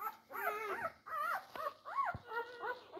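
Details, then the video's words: Four-day-old Labrador Retriever puppies fighting over their mother's teats: a rapid run of high, wavering whines and squeaks, several short rising-falling cries in three seconds, with brief gaps between them. "Die Labrador Welpen am Tag 4. Kampf um die Zitzen."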